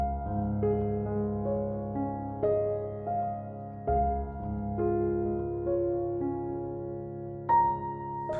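Soft keyboard music with sustained chords plays, and no animal sound is heard.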